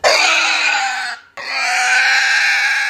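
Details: Fat pig screaming: two long, harsh, high-pitched squeals, the first about a second long, then a brief break before a second sustained scream of similar strength.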